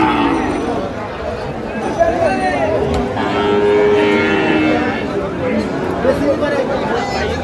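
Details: Sahiwal bulls at Ambari cattle market, where Comilla farmers are buying, on 18 April 2025: a drawn-out, low, tonal moo rises out of the middle of the clip amid steady market chatter and men's voices.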